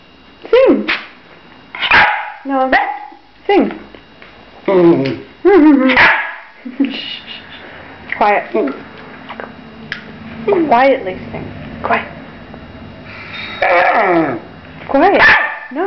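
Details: A pet dog getting talkative, as he does when someone looks at him and starts a conversation or eats near him, giving a run of varied, sing-song howly yips and whines with bending pitch, roughly one every second or two.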